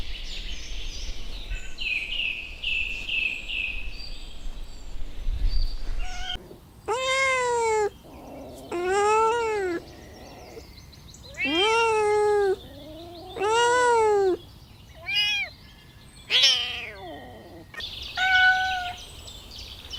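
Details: High chirping and background hiss open this recording of kittens playing on green grass. They are followed by a series of clear, arching meows, each about a second long, roughly every one to two seconds, against a steady outdoor noise floor.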